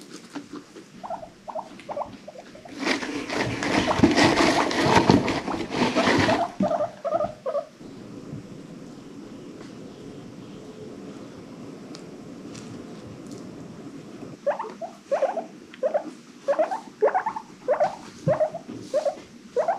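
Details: Pet guinea pigs in an indoor herd of rescued animals: short squeaky calls in bursts around 1 s and again from 14 s, with a loud sloshing, rushing noise between about 3 and 6 seconds.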